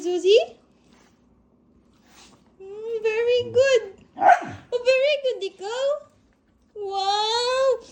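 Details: A pet Aspin, a Philippine native dog, 'talking' indoors: drawn-out, wavering whine-howls, each about half a second to a second long, separated by short silences, with a sharp noisy burst in the middle.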